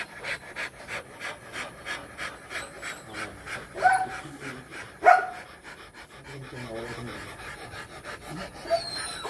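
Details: Rottweiler mating, breathing in steady, harsh pants about every half second, then quieter as several people talk nearby.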